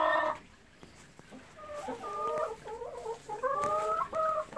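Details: Golden Retriever whining during a morning walk and play time in a field among persimmon trees; short bursts of tonal whining, wavering up and down in pitch, repeated several times over a few seconds.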